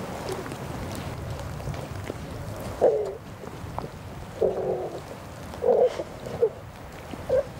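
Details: Cheetahs at a feeding site in Hlane Royal National Park, Eswatini, filmed in the early 1990s, giving about five short, clipped mid-pitched tonal calls at irregular intervals over steady wind and handling noise.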